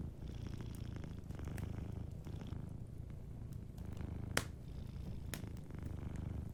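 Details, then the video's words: Gently purring cat asleep near a cozy fireplace, its deep continuous rumble pulsing evenly, with a few sharp fire pops standing out around the middle and later on. "Warm Fireplace Ambience with a Sleeping Cat 🐱💤Fireplace & Soft Purring"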